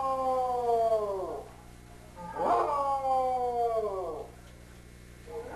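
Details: Pet beagle vocalizing together with a shih tzu-lhasa mix, celebrating a victory over another dog; drawn-out howls with stacked harmonics that slide downward, two long howls about two seconds apart, the second starting loud then fading.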